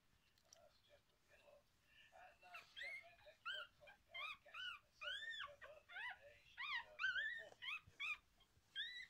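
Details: Five 4-day-old liver Miniature Schnauzer puppies, two girls and three boys, give thin, high squeaks and whines, one after another.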